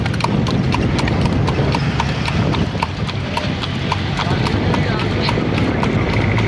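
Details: Cart horse trotting at night, its hooves beating out a quick, even clip-clop over a constant low rolling rumble from the cart.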